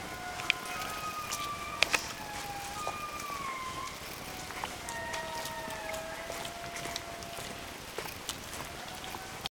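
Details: Indri in Andasibe National Park, Madagascar, giving a chorus of drawn-out wailing notes that rise and fall in overlapping glides, over a hissing forest background with frequent sharp ticks and clicks.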